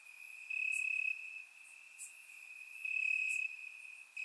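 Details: Night-time crickets in grass in Bulgaria on a warm summer night; a thin, sustained high-pitched trill swells loudly twice, with a short soft click between, over constant background chirping.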